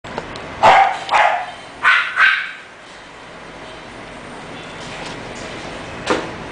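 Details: English Bulldog puppy from a breeder giving a few short barks around one to two seconds in, then quiet room tone with one faint sharp sound near the end.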